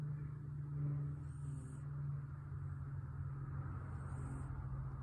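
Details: A contented pet cat snoring: a steady low rumble runs throughout, with a soft airy hiss of breath roughly every two and a half seconds.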